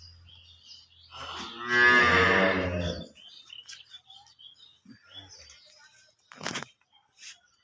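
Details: Holstein Friesian cow offered for sale at a farm in Setabganj, Dinajpur, Bangladesh, lows once in a long harmonic moo lasting about two seconds, followed by soft knocks and a sharp bang.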